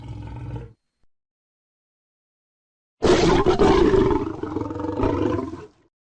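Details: Lion roaring: after a short fading growl and a pause, one long, loud, rough roar lasts nearly three seconds with a strong low rumble, then cuts off.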